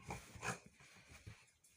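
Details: A female Beagle, worked up and angry while playing indoors, gives two sharp, harsh barks about half a second apart.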